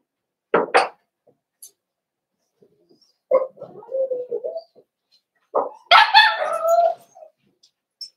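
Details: Cavalier King Charles Spaniel puppies in an indoor pen at Red Barn Cavaliers, meeting several older dogs during socialization: short sharp barks, low murmurs, then a rising, harmonic whining yelp of about a second.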